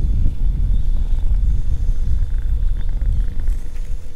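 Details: Stray mother cat and her kittens sleeping together in a back alley; a low, continuous rumbling purr with a steady pulsing texture, plus a faint steady background hum.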